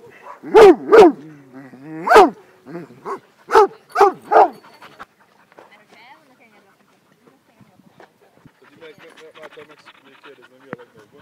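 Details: At a small dog school in Szentendre, Hungary, a playing pack of over 20 dogs, breeds mixed with crossbreeds, gives a volley of loud repeated barks for about five seconds. Quieter whines, murmurs and distant chatter follow.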